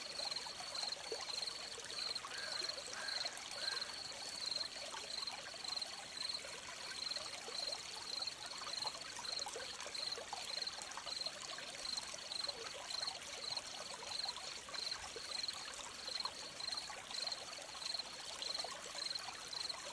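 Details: A long stretch of cricket chirping near a stream: a high, thin, nearly continuous chain of rapid chirps with only brief gaps, while flowing water hisses and burbles underneath throughout.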